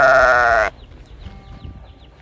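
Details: Calf of domestic cattle calling for its mother: one loud, harmonically rich bleating cry lasting under a second, steady in pitch, followed by a quiet stretch of faint clatter and soft tonal background sounds.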